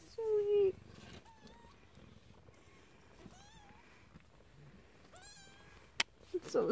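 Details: Newborn kittens in a den trying to get out: faint, thin, high mews, a few short rising-falling cries spaced a couple of seconds apart, with a woman's voice at the start and soft rustling throughout.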